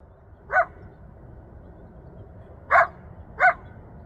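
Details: Coyote yelping for its family and friends in the Rancho Sierra Vista open space, Newbury Park, Ventura County, heard from about a mile away; three sharp, bright yelps, one alone and then a close pair, over a quiet low rumble.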